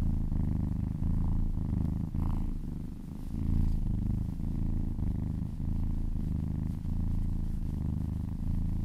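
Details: Kitten purring contentedly during a relaxing massage: continuous deep rumble, slight rustle of handling near the middle.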